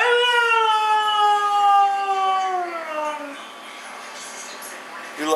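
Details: Mishka, a talking husky, vocalizes with her sister Laika: one long, drawn-out harmonic howl lasting about three seconds, its pitch sliding slowly downward, then a quiet pause and a brief human voice at the end.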